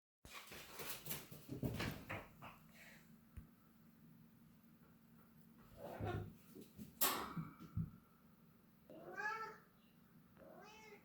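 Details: Domestic cat in the mood to play, indoors: bumps and rustling thumps first, then two short harmonic meows near the end, the first longer and arching, the second brief, with a steady low hum behind.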